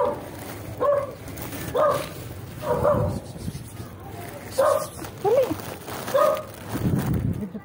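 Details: Stray dogs greeting a familiar person on seeing him; short, mid-pitched barks and yelps come in uneven bursts about once a second, with a low rumbling background and some voice.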